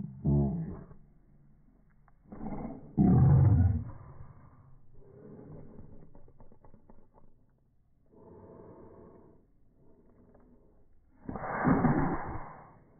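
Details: Boston Terriers wrestling indoors over a ball that mom is holding: deep, rough growls and roar-like snarls burst out near the start, around three seconds and again near twelve seconds, with softer grumbling and rustling in between.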